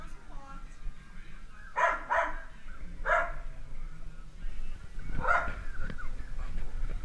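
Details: Dalmatian puppies at play give short, sharp yipping barks in small bursts near two, three and five seconds, with human voices talking in the background.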